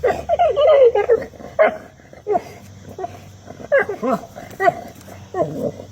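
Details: A bulldog chewing on a rock gives a run of wavering, gobbling, turkey-like grunts and yelps in uneven bursts, and a person's voice is briefly heard.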